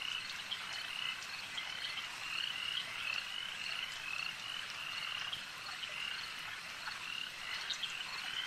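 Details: Frogs at a lake in a dense, steady chorus of high, rattling croaks with short whistled notes, many callers overlapping without pause over a soft natural hiss.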